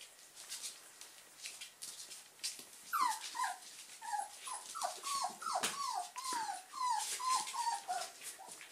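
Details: German Pinschers of the Ettaler Mandl line at play: a quick series of high, falling whines and yips, about two or three a second, sliding downward in pitch, over a constant background of rustling and scuffling.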